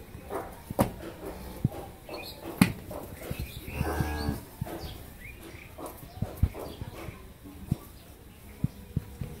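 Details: Friesian Mundi-breed dairy cow with her heifer calf, kept on a dairy farm in Pabna, Bangladesh: one short, low moo in the middle, partly buried under clattering knocks and steady background noise.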